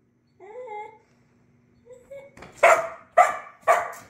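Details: Border Collie on its first day of button training: two short, thin whines, then three sharp, loud barks about half a second apart.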